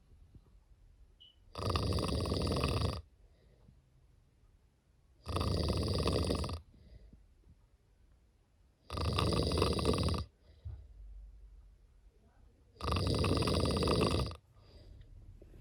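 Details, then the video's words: A sleeping cat snoring indoors: four long, harsh, rasping breaths, each about a second and a half, repeating roughly every three and a half seconds with quiet pauses between. "Snoring cat"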